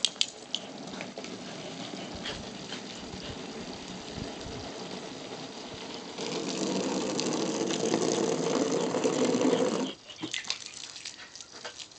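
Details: Rushing hose water and splashing, growing louder and then cut off, with clattering noises outdoors and no animal calls heard.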